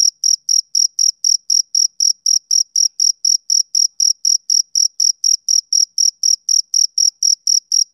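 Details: Summer-evening chirping of a male cricket: crisp, high-pitched pulses delivered about four per second in a regular beat, with no other noises present.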